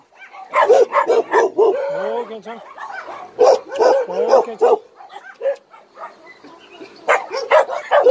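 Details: Dogs at Hanna's rescue shelter for abandoned dogs in Daegu bark in rapid, uneven bursts of mid-pitched, harmonic yaps, several overlapping, with a short lower whine near the middle and human voices between barks.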